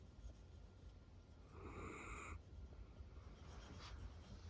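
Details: Female Miniature Dachshund Roro dozing affectionately on her owner's lap, giving a single rasping, airy snore of about a second, with faint softer breathing after it against quiet room noise.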